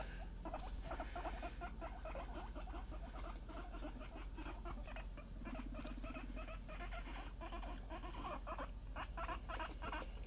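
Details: Suba, a pet guinea pig, makes a run of soft, rapid, irregular chuttering pulses with brief tonal squeaks, over a low steady hum.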